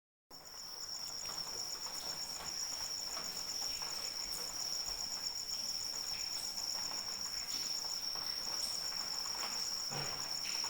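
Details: Cricket calling in the rain: a steady, very high continuous trill with a faint pulsing overtone, unbroken after a silent first moment, over soft broadband rain patter and scattered drips.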